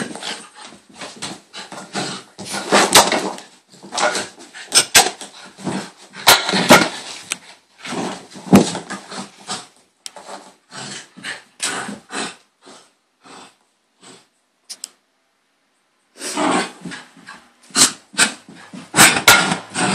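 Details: A dog named Bailey, a female, having a hyper moment indoors: rapid bursts of excited yaps, huffs and whimpers in uneven clusters, pausing near fifteen seconds, then resuming with loud scuffling.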